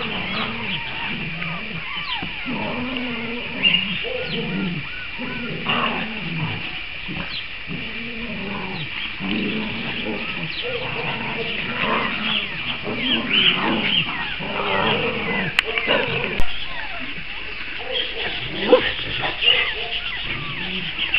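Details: Cavalier King Charles Spaniels: April introducing her puppies to the rest of the household pack. Low, rumbling growl-like vocalisations with wavering harmonic whines come in repeated bouts, over a steady high-pitched background hiss and a few sharp clicks.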